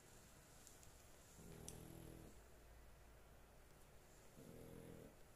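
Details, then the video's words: A pet dog sleeping soundly, giving two low, rumbling snores with a faint harmonic buzz, each lasting under a second, separated by quiet breathing in a small indoor room. "My dog snoring"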